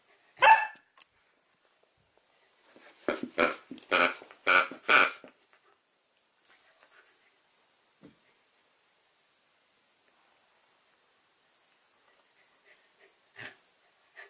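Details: Nukka, a female Samoyed puppy, barks to get her dropped favourite porcupine toy picked up: one sharp bark, a short pause, then a rapid run of four or five barks, followed by quiet with faint knocks.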